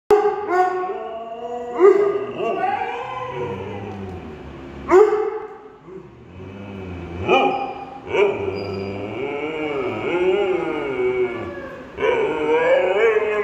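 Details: A Husky, a German Shepherd and a Weimaraner howl together in a random bout of song, giving long wavering tonal howls that rise and fall, restarting in fresh bursts every few seconds.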